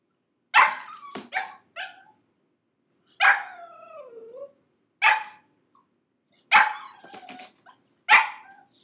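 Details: Gizmo, a six-month-old pug puppy kept in a crate for five minutes, screams with loud sharp barks about every one to two seconds, several trailing into long wavering, falling whines.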